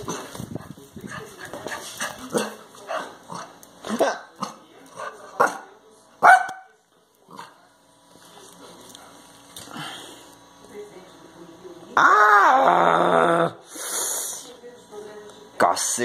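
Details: A Chow Chow puppy play-attacking its owner snarls and barks in harsh, broken bursts while a man shouts over it.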